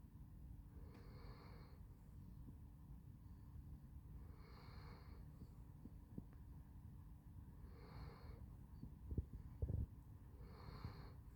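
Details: Handsome Jack the Basset Hound snoring in his sleep, four wheezy, whistling breaths spaced about three seconds apart, a couple of soft thumps near the end, low background hum.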